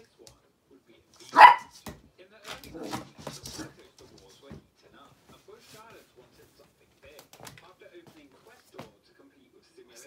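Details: Feisty little dog Teddy plays with a squeaky ball for one of the first times, inside a small room. One loud, sharp bark opens, followed by a few softer yips, then mostly quiet with faint speech and light knocks.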